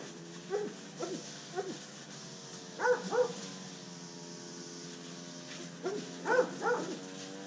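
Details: Rescued Rottweiler Catahoula Leopard Dog mix named Pablo Pinto, undersocialized and scared of people, found in South Florida's Redlands area, barks in short irregular bursts, some doubled, with gaps between, against a constant electrical hum.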